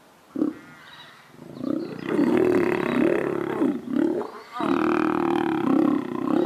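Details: Lions mating in captivity at Linton Zoo: deep, rasping growls rise into a sustained throaty roar, break off briefly, then resume in a second rough, rumbling burst.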